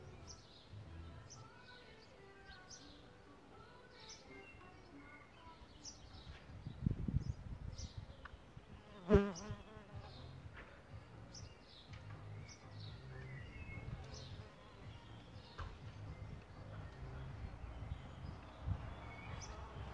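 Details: Solitary bees nesting in a bug hotel give a low droning buzz that swells around the seventh second and stays faint elsewhere, while birds chirp and whistle in the background.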